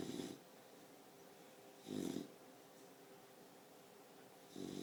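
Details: Sleeping Boxer pup, four months old, gives short rasping snores about every two seconds, low and breathy with a hissing edge, in a quiet indoor room.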